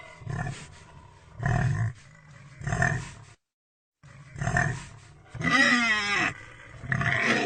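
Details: Low, throaty pig grunts about once a second, then a wavering, rising-and-falling squeal with a harsh edge, followed by more grunts.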